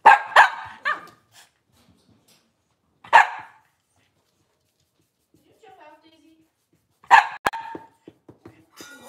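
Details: Cavalier King Charles Spaniels in a home kitchen where mothers, puppies and occasional fathers gather on a cloudy Monday morning; a quick double bark opens, a single bark follows three seconds later, then another bark amid clicks and knocks.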